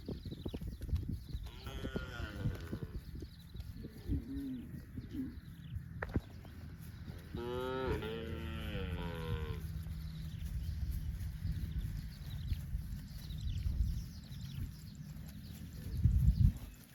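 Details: Cows roaming in the fields give drawn-out moos, one short low call near the start and a longer, louder, wavering moo in the middle, over steady low rumbling field noise and scattered clicks.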